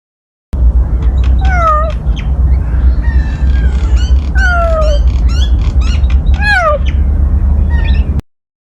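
A cheetah gives high, bird-like chirps that slide downward, repeated every second or so over a low rumble.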